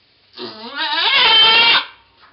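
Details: During the birth of twins on 2/11/11, the goat Pong gives one loud, drawn-out bleat lasting over a second, starting low and wavering, then rising into a harsh, sustained cry before cutting off.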